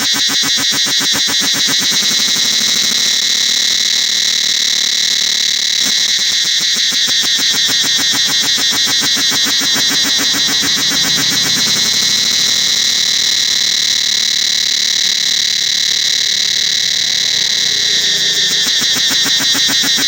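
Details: Forest cicadas at Angkor Wat temple keep up an intense, piercing whine, pulsed quickly and evenly at roughly four beats per second, unbroken throughout, with faint low sounds underneath.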